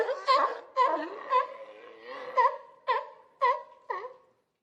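A sea lion calls repeatedly with brief, nasal, wavering bleats, rich in overtones. The calls come in a quick, uneven series, each one dropping slightly in pitch as it fades.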